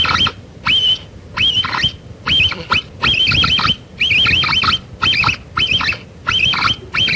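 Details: Capybara giving a rapid string of short, shrill, warbling whistles mixed with gritty, noisy rasps, each burst lasting under half a second and repeated steadily with brief pauses.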